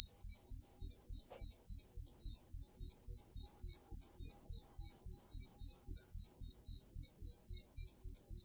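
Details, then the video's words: Regular, shrill cricket chirps, about three and a half each second, bright high pulses with a soft low knock under each one, steady throughout with no other sounds. "Tiếng Dế Kêu"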